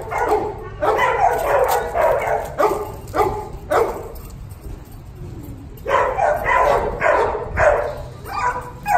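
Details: Puppy repeatedly barking in loud, broad yaps, close together at first, then a pause of about two seconds before another burst of barks.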